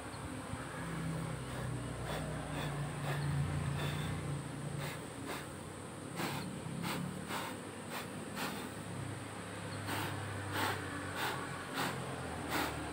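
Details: Managed honey bee colony in a hive box, opened while frames are lifted out, one frame crowded with larvae: low steady droning hum with sharp knocking clicks from handling the hive woodwork.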